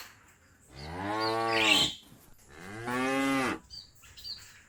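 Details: Cows calling their friends home to the barn; two clear, drawn-out moos about two seconds apart, each swelling then falling away, with faint higher chirps in between.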